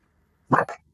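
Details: A single fearful rescue dog barks at the trainer acting as a visitor during a session on stopping barking at guests; one quick double-pulsed woof, a sharp burst and a softer tail, with a quiet room around it.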